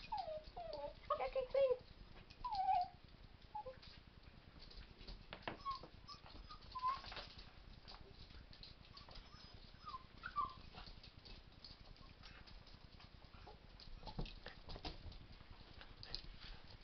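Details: Playing Rat Terrier and Miniature Pinscher mix puppies named Captain Jack, three-legged, and Scramysaur give bursts of squeaky whining yips early on, then scattered short whimpers amid clattering, scuffling play noise and a low background hum.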